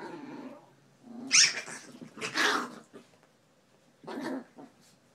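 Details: Chihuahua at play during a tug of war, giving a low growl followed by two sharp, high barking yaps and a final short growling burst.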